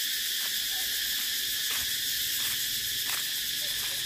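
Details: Cicada droning loudly and continuously, a harsh high-pitched buzz without breaks, with a few faint brief clicks in the background.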